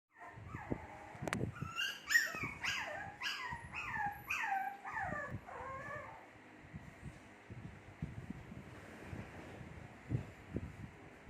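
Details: Two-month-old Shih Tzu puppies whimpering: a run of high, falling, whiny cries packed close together over about five seconds, then fading into soft shuffling and low thumps.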